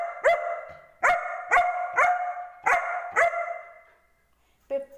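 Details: Barking German Shepherd called Angel, arguing with its owner: a run of about seven sharp, ringing barks spaced half a second to a second apart, then quiet and a short lower vocal sound at the end.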